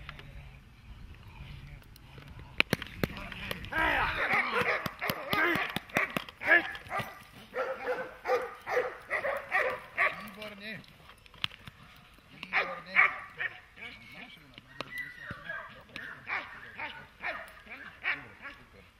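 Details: Protection-training dog barking in quick, fairly even bursts, about two per second, strongest in the second half, with people talking and clattering noises in the background.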